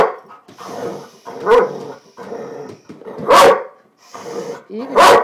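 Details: Tulle, a female pet dog playing with her ball, lets out rough growling barks in bursts roughly every second, with sharper broadband yelps standing out near the middle and end.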